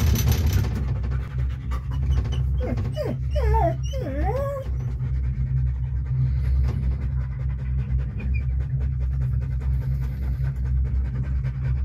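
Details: Deutsch Drahthaar riding in a cable car, breathing in steady quick pants under a loud low cable-car drone, with a short burst of whistled, wavering tones near the start.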